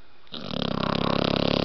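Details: Snoring from a blue nose pit bull puppy called Roxie, asleep: after a brief hush, a steady buzzy, rattling snore swells in and grows louder, pulsing rapidly throughout.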